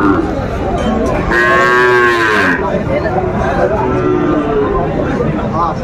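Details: Sahiwal bull calf at a Faridpur cattle market, trading on a Tuesday, 5 January 2025: a loud, drawn-out, harmonic moo of about a second that rises slightly then falls, amid market chatter and crowd noise.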